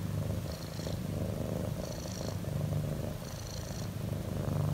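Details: A relaxed pet cat purrs loudly, a low vibrating drone pulsing in slow breath cycles about every one and a half seconds, with light breathy hiss riding above each cycle.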